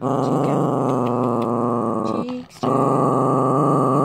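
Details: Male pet Chihuahua, about three years with its owner, growling at the owner's boyfriend whom it dislikes: a steady, rattling, pulsed growl held for about two seconds, a brief break, then resuming just as continuously.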